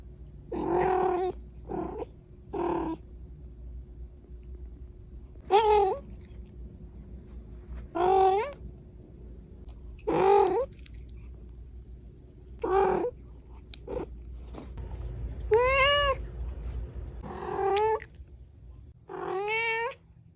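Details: A baby cat called Cash, indoors, gives about eleven separate meows over twenty seconds, each short and tonal. Some are flat and some sweep upward, with a longer wavering cry near the end. The room is otherwise quiet.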